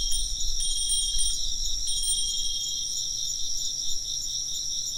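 A steady, high, shimmering chorus of chirping insects, with wind chimes ringing over a low wind rumble.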